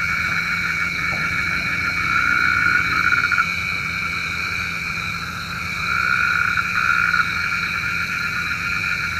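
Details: Frogs at night, described as calling for rain. The sound is a thick, unbroken chorus of overlapping trilling tones that swell louder around two to three seconds and again around six to seven seconds.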